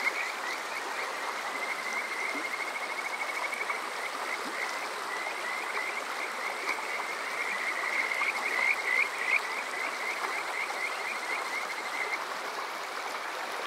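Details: Kajika frogs at night in summer, Yokoze, Chichibu, Saitama (Water Park Shirayama), TASCAM DR-05X recorder: a long, fast train of soft rising chirps that swells to louder whistles near the end, backed by heavy water noise.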